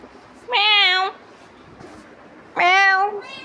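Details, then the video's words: Domestic cat pestering its owner, giving two clear, drawn-out meows about two seconds apart, each steady and slightly wavering, with a faint third call starting at the end over a quiet room. "Billi bhut paresan kr rahi h"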